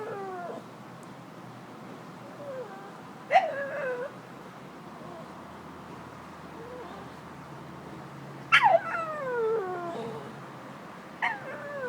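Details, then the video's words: Stella, a domestic dog, makes talking noises, sharp-onset whines that sweep downward through several wavering steps, three main bursts spread across the stretch, with softer short whimpers between them. "My dog makes funny noises"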